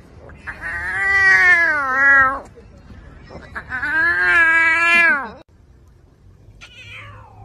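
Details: Lion cub practising its roar: two drawn-out, strained, harmonic calls of about two seconds each, wavering and then sagging at the end, separated by a short pause, followed by a faint, higher, falling squeak.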